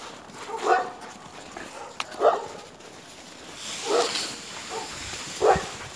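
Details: Alaskan Malamute with another dog, giving four short tonal barks spaced about one and a half seconds apart over a steady low background hiss.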